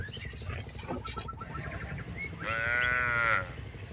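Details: Tame cattle herded through a rice field, one drawn-out harmonic call near the end lasting about a second, rising slightly then holding steady, over a low rumbling and rustling background.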